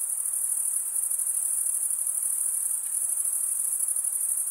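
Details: Short stretch of cricket chirping: a piercing, rapidly pulsing high trill sustained evenly, with no pauses and no other animals or background sounds.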